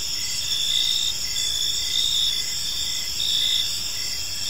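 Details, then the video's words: Gentle chirping of crickets in a peaceful park as evening falls; dense high-pitched pulsing trills with a lower chirp recurring every second or so, an even insect backdrop. "Park Serenade: Cricket Sounds in a Peaceful Park"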